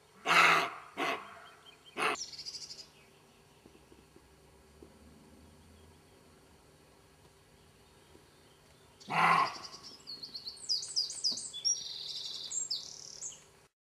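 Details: Roe deer in a garden give a few harsh, hoarse barks, spaced irregularly, with small birds twittering afterward.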